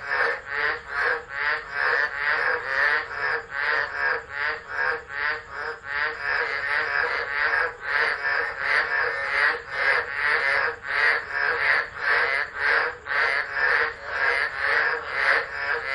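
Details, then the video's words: Chorus of tropical frogs calling during a tropical low storm in December at Driver, Northern Territory, Australia, recorded on a phone left on the ground; dense pulsing croaks repeated rapidly, more than two a second, in an unbroken overlapping wall of sound. "Tropical Storm Frogs Singing"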